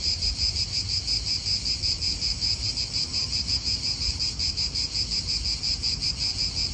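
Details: Cicada chorus in a park in Italy, a shrill high buzz throbbing in even pulses about three times a second, with a soft low rumble of wind beneath.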